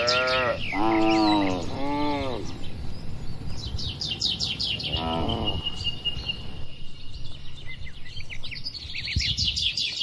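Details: Grazing cattle in a calm open field in the countryside; a quick series of short moos opens, another brief low call comes midway, then mostly rustling background with bright bird chirps and trills.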